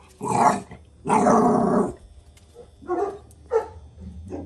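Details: Jack Russell Terrier giving loud, harsh, drawn-out barks and growly yelps, the second bark long and noisy, followed by shorter softer barks.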